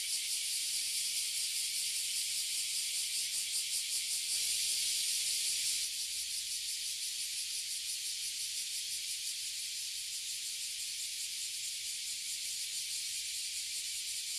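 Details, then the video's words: Many oily and bear cicadas call together from one tree in Toyohashi City, Japan. A piercing, pulsating buzz rises louder for a couple of seconds early on, then continues as a steady, slightly softer drone. "Cicada in Japan"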